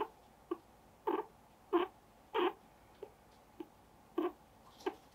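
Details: A guinea pig being held with its cheeks pinched between fingers gives short, nasal squeaks about every half second in an uneven series.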